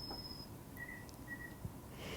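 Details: A nocturnal understory cricket in a rainforest gives brief, pure, high whistled tones, a male's calling song to attract a female in the dark.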